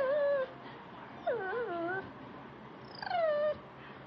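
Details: Pet beagle Sam whines while watching Animal Planet on television: three separate tonal cries, the middle one wavering and dropping, the last starting high and gliding lower, with low room noise between.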